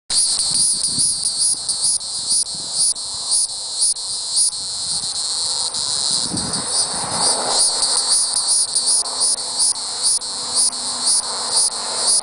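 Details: Hieroglyphic cicada, Neocicada hieroglyphica hieroglyphica, calling: a dense, high buzzing drone with rapid pulsed beats, swelling and dipping in rhythmic surges about twice a second, with a faint low rumble beneath.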